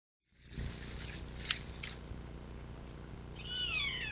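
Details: A Roosevelt elk (Cervus canadensis roosevelti) in a herd walking past a camera gives a high, thin, mewing call that slides downward near the end.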